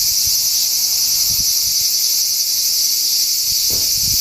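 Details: Cicadas singing unseen on 4 August 2017, in summer: a steady, dense, high-pitched hissing drone that never pauses, with faint low thumps near the start and end.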